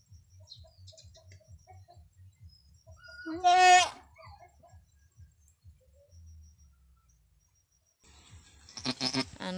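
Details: Goat named Anime, a brave long-horned doe on a small backyard farm, bleating in pain during her arduous first birth: one loud wavering, harmonic-rich bleat lasting about a second, over faint steady low ticking, with a brief burst of human voices at the end.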